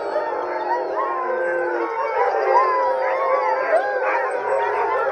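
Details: A pack of Alaskan Huskies in Alaska in June, excited to be picked for mushing practice with a wheeled cart; a continuous chorus of overlapping rising and falling howls, with a human voice faintly audible.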